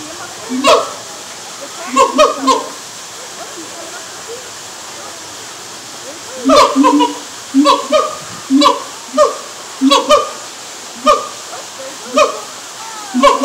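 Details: A siamang at Lowry Park Zoo in Tampa, Florida, in the morning gives loud, tonal whooping calls in quick bursts that speed into a steady series.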